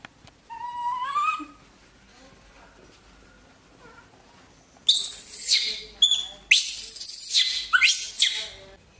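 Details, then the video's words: Sam, a pet monkey in Vietnam, reacts on finding its owner's bedroom: one rising whistled cry, a pause, then a run of shrill, piercing screams of irregular length close together. "Monkey Sam Discover Mom Bedroom, Sam Screams When Sees ..."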